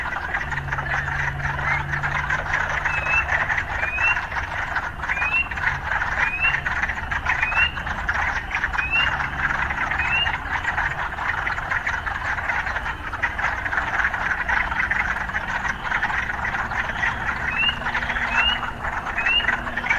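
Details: Urban frogs in a steady, thick croaking chorus. Brief upward-sweeping chirps come roughly every second through the middle, with a low engine-like hum early on and scattered urban background noise.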